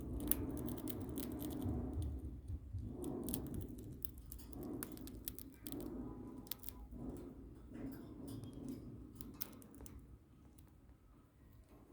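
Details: Soft crunching and crinkling in a small room, with scattered clicks and low rumble, and no animal voice heard.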